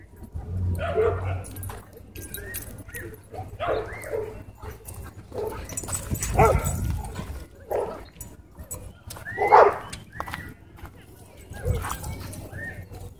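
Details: A dog park scuffle in which a small white dog bites a German Shepherd: scattered single barks and yelps spaced a few seconds apart, one louder bark standing out, over low background rumble and distant voices.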